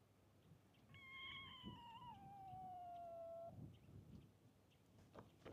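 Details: Stray kitten at a fishing port, curious about the camera but still a little scared, gives one drawn-out meow of about two and a half seconds that slides downward in pitch, with a quiet outdoor background.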